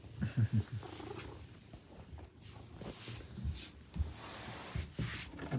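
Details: A house cat of the Maine Coon breed welcomes its owner home at the door. It gives a close, rumbling purr with a few snuffly bursts and brief thuds mixed in.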